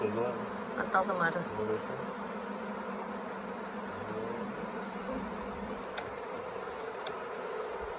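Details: Honey bee swarm that had settled on the Tamarind Tree Hotel grounds for several days, late in the year, being caught into a nuc box: a dense, steady low hum, with a few brief human words near the start.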